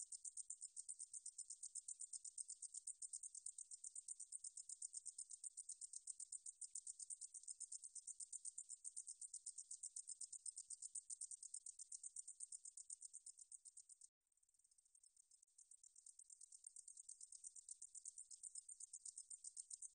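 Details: Insect song of a katydid, 2020, National Institute of Biological Resources. A high, sizzling pulsed trill runs steadily, breaks off briefly near the end, then resumes more softly before building again.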